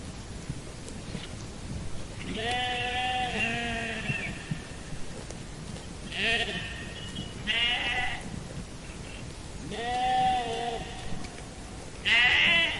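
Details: Repeated sheep bleats, about five throaty, trembling calls in quick succession, some overlapping as if from more than one animal. A soft rumbling background runs throughout.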